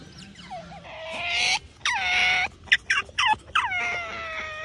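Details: Titi, a wild Asian small-clawed otter kept at a home turned mangrove otter conservation center, calls after waking up early: high, whistled squeals that slide downward, then a run of short chirps and another long falling whine.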